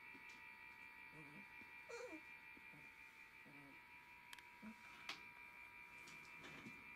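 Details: Galgo Español puppies from a 2020 kennel litter at 19 days old give faint, short squeaky whimpers in irregular bursts over a steady electrical hum indoors.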